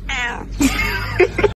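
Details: Cat giving a drawn-out, wavering meow that rises into a harsher caterwaul, ending in two short clipped sounds.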